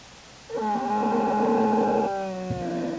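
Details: One steady, droning, harmonic moan lasting about one and a half seconds from an American black bear in Lily's den, January 27, 2012, then fading into a softer, lower tone.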